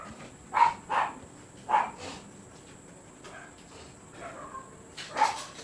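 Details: Barking Siberian Husky at a kennel where stud service takes place: a run of four quick yapping barks, a lull with soft whining, then a final louder bark, over a thin steady electrical hum.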